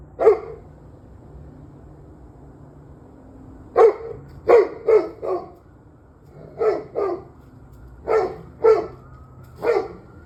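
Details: Barking dog recorded at 7:06 in the evening, 21 November 2023: loud single and doubled barks in irregular bursts, some in quick pairs or triplets, separated by pauses of a second or more, with a faint constant hum beneath.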